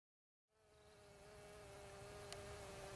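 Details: Bees in Finistère, Brittany, in the far west of France: after half a second of silence, a steady droning buzz begins and holds a low, even pitch with rich overtones, with a small click near the end.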